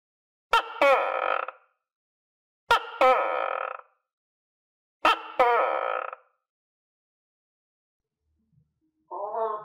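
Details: Captive tokay gecko, kept with other tokay geckos and filmed around clumsy cricket feeding, gives three loud two-part calls about two seconds apart, each a sharp click then a harsh, rasping, harmonic croak; a softer partial call closes the recording in silence.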